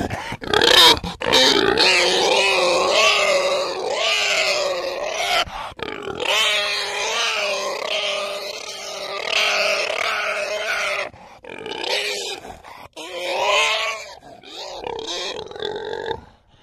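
A wild boar screams in loud, harsh, wavering squeals while under attack by a leopard.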